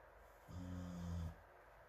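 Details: Deep, buzzy snore from Morimori, a dog asleep on a sofa in a fan's breeze among other sleeping dogs in Hamanaka, Hokkaido, June 21, recorded from across the room; a single rumbling breath of almost a second.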